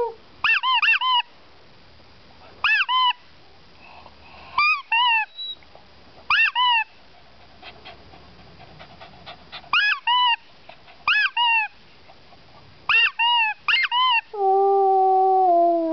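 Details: Dog singing along in short, arched, whining yelps with bright harmonics, mostly in pairs or triplets, separated by pauses of one to two seconds; a steady sustained instrument-like tone enters at the very end.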